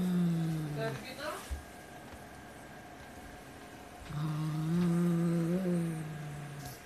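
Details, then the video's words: White Siamese cat defending his prey, a black toy rat: a deep growl trails off, a brief higher rising whine follows, then a longer low moaning growl resumes with a slight lift in pitch. "Cat doesn't want to share his prey."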